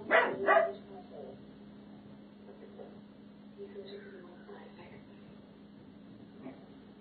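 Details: A 12-week-old Doberman Pinscher puppy gives its first territorial guard barks, two quick, high, sharp barks with its hair standing up, followed by a person talking softly.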